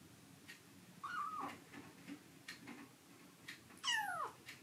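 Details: Foster rescue kitten Momiji, indoors, guarding a favourite man's lap from fellow kitten Kuromame: a brief level meow, then a longer high wail sweeping sharply downward, with soft scuffling sounds between the calls.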